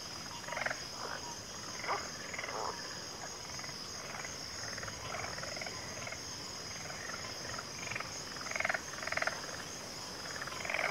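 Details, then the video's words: Several frogs croaking in scattered, rough bursts, some louder near the end, against a continuous high-pitched insect drone. "FROGS - Pig Frogs, Water Frogs, Backwater Chorus, & Frog Chorus"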